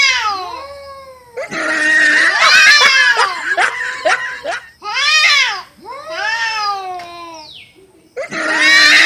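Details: Cats in a fight, giving drawn-out caterwauls and howls with rich harmonics, swooping up and down in several separate bursts divided by brief pauses.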